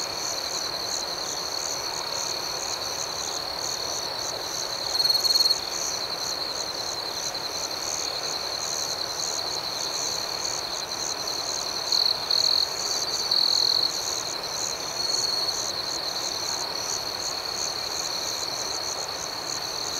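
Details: Nighttime cricket chorus: a steady high ringing tone overlaid with fast, rhythmic pulsing, broken by a few louder chirp bursts at irregular intervals.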